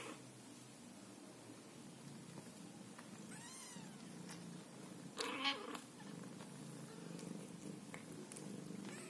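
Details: A mother Scottish Fold cat caring for her kittens purrs in a steady low rumble, with a few brief chirping mews.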